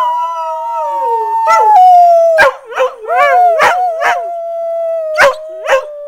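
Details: Two dogs, Blue and Bettina, rooing in answer to their mother, their howls sliding slowly downward in overlapping voices while quick sharp yips repeat roughly every half second.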